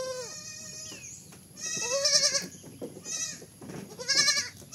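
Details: A kid goat gives a few tremulous bleats, some sliding down at the end, roughly four cries in under five seconds, with steady hiss and faint rustling between them.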